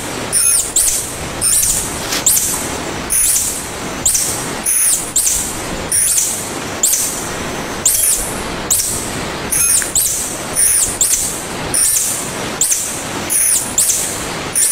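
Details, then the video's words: Repeated piercing squeaks from a tarsier, known locally as tangkasi, pulsing at an even pace of nearly one per second over a continuous rushing noise bed. "Tarsier Calling Sound"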